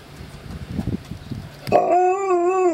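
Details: Nine-month-old Alaskan Malamute starting with soft rustling and snuffling, then breaking into a clear, sustained tonal howl that wavers gently in pitch, lasting about a second.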